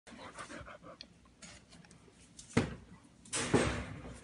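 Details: Golden Retriever named Teddy indoors after surgery, panting: breathy, noisy huffs in uneven bursts, with two louder heavy exhalations in the second half, in a small room.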